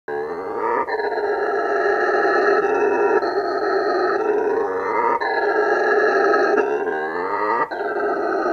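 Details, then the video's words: A male howler monkey gives a loud, sustained, guttural roar with rich, throaty overtones, a roar audible up to 5 km away that defends territory and attracts females. "Hear a male howler monkey roar and watch what it means"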